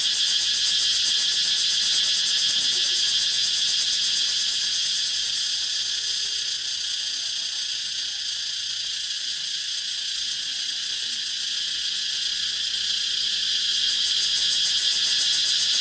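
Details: Cicadas fill the track with an unbroken high, hissing buzz in a 432Hz relaxation mix. Fast rhythmic pulsing shows at the start and again near the end, and the middle is slightly quieter.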